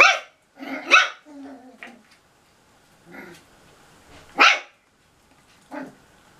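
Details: Cocker Spaniel puppies playing in a bathroom: sharp high yaps and short barks in scattered bursts, with a low growl in between and quiet gaps.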